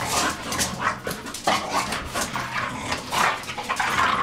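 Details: English Bulldog crossed with Bull Terrier, two dogs at play: repeated grunting growls and brief whining squeaks in choppy bursts, mixed with rustling from their wrestling.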